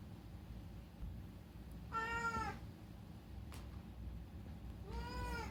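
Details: Rescued pet cat Unagi meowing at night indoors: two drawn-out, harmonic meows about three seconds apart, the second slightly rising then falling, over a steady low hum.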